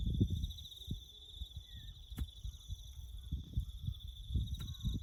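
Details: Crickets chirp through bush ambience at a farm where a road is being built, making an even, high, rapidly pulsed trill without pause, layered over muffled low thumps and a couple of sharp ticks.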